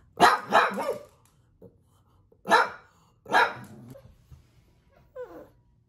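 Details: Bowser, a pug, barking at puppies on the television: a quick double bark, then two more single barks spaced about a second apart, ending in a short rising whine.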